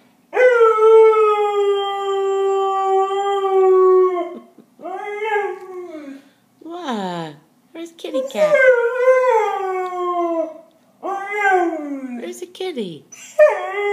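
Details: A dog howling a little while looking for his friend: one long, steady howl of about four seconds, then several shorter wavering howls that slide downward in pitch, with short pauses between them.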